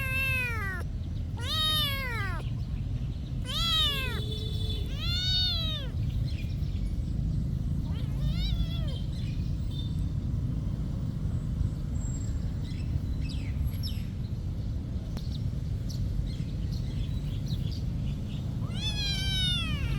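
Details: Cat at a monastery meowing in a quick burst of four or five arched calls, then quieter with faint distant sounds, before one more meow at the end; steady low rumble throughout.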